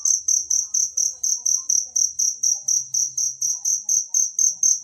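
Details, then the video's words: A cricket in nature, recorded as a tutor sound for songbirds, gives rapid, even, high-pitched pulsed chirps repeated roughly every quarter second without a break. A faint low hum and soft background murmurs sit underneath. "suara jangkrik alam"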